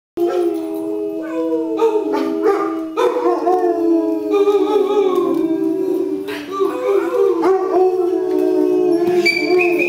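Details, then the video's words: Two dogs named Jazz and Nacho howling together; long, sustained wavering howls overlap in layered tones, rising and falling, with pitch slides and swells continuing throughout. "Dogs Howling"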